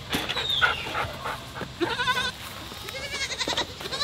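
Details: Several baby goats giving wavering bleats in quick succession over a busy background of mixed noise, with overlapping calls and a steady hum.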